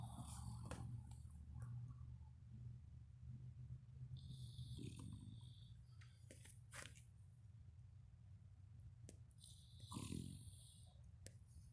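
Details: Cletus, a pet pot-bellied pig, snoring in his hay after a good meal: soft breathy snores near the middle and end, over a constant low hum.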